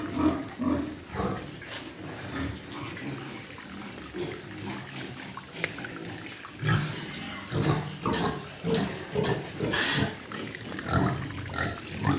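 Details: Pigs in a farm pen give repeated low grunts about once a second, with splashing water and clatter around them.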